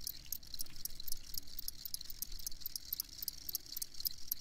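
Crickets chirp in quick, high, pulsing bursts over a low background rumble.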